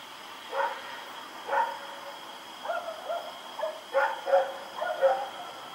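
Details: Rex, a dog, barks while running around at night on October 7, 2018; a series of short, fairly distant barks, some paired, come roughly every half second to second against a constant high-pitched hum.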